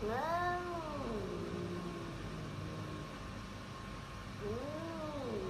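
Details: Domestic cat giving two long, drawn-out meows that bend up then fall, one at the start and another near the end, over a steady low hum and faint background noise.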